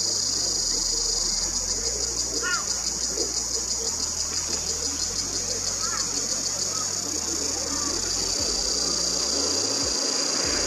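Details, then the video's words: Ironbark cicadas roosting together in gum trees in the Australian bush, summer 2021, singing a deafening chorus: a steady, piercing high buzz with fast rapid pulsing throughout, plus low rumbling background noise. "The Cicadas Deafening Repertoire"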